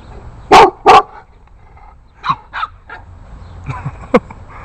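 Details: An 8-week-old Boston Terrier puppy confronting bigger dogs in its neighborhood: two loud, sharp barks close together, then softer scattered yips and barks over a quiet background.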